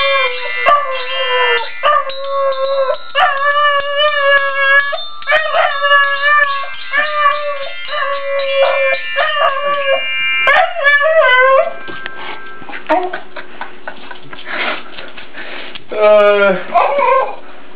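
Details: Calvin, a dog, singing and being aggressive; long sustained howled tones with rich harmonics, held notes shifting pitch in steps, then breaking into rougher, noisier growl-like whines and a short rising yelp near the end.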